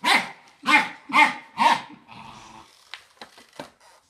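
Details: Fox Terrier barking at a vacuum cleaner: four loud, rough barks in quick succession, then quieter clicks and knocks.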